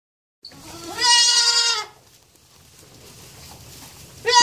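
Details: ['Young goat kid bleating: one long, loud, nasal bleat lasting over a second with a strong harmonic tone, a quiet pause, then the start of a second bleat at the end.']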